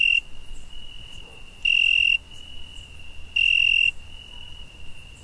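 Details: Night-time cricket sound in summer: an unbroken high trill with loud, sharp ringing pulses at the start and twice more at regular spacing, over a quiet low hum.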